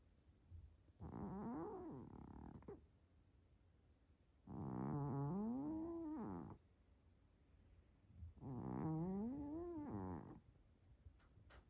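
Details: Hélios, a big Maine Coon cat, snoring loudly while asleep indoors, like a locomotive: three long rasping breaths about four seconds apart, each with a wavering, rising tone and a hissy upper edge.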